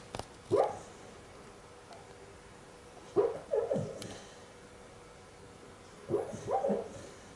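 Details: Sophie the dog making funny sounds in her sleep while dreaming: three bursts of soft muffled yips and whimpers, each a pair of quick squeaky notes, spaced roughly three seconds apart in a quiet indoor setting.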